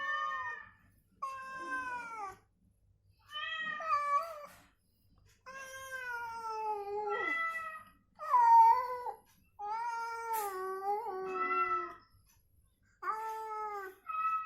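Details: Cat calls and replies during recovery, provoked on purpose with the same cat sound so it would stir and call out: around nine loud, wavering meows in close series, each bending downward, in a quiet indoor setting.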